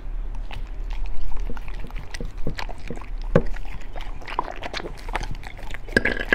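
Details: {'caption': 'Beagle eating raw food indoors, a meal of chicken drumstick, duck gizzard, pork liver and rabbit kidney; wet crunching bites and sharp clicks of teeth come in an irregular, steady run, with a brief higher squeak near the end.'}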